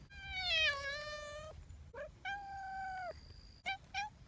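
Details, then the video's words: Affectionate community cat giving long, drawn-out meows, the first wavering and falling, the second flat and level, followed by quick short mews. "Cat meow, voice"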